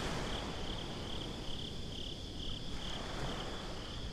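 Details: Crickets calling at night at the beach, heard binaurally: a high, even pulsing trill repeated about four times a second, half buried under a loud continuous rush of surf.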